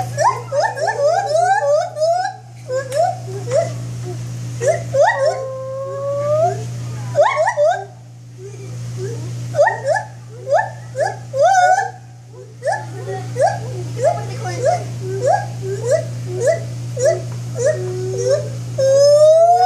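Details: Long bouts of rapid, rising, hooting notes from a white-handed gibbon, split by short pauses and ending in a high upward-sliding wail, with a continuous low droning hum behind.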